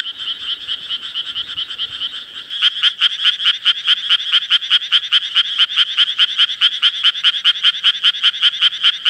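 A Japanese tree frog gives a rapid, steady series of short, raspy, high-pitched notes.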